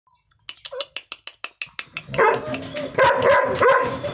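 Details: Angry Rottweilers, described as both sexes, give a rapid string of sharp barks that run into harsh, continuous barking and snarling.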